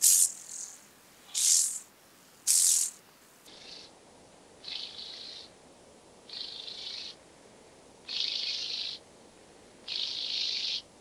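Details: Speckled buzzing grasshopper at Vorderriss, Germany, 11 August 2022: three sharp rattling bursts, then five lower, duller, slowed-sounding buzzes spaced about one and a half seconds apart.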